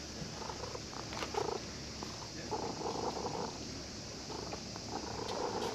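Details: Purring from a cat found asleep at a fishing port and being petted by a visiting child who came to fish, showing pleasure; faint pulsing murmurs recur through the clip, partly buried in constant harbour-side noise.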